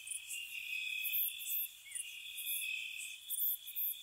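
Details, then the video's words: Crickets on a spring night at a cottage, a dense high-pitched trill running throughout. Crisp chirp bursts pop out above the drone at uneven intervals, with one brief lower warble partway through. "Cricket Sounds"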